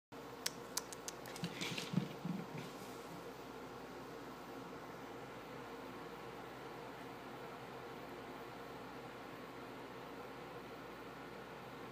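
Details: A few sharp clicks and soft thumps open the recording, followed by quiet indoor room hum with no animal voice.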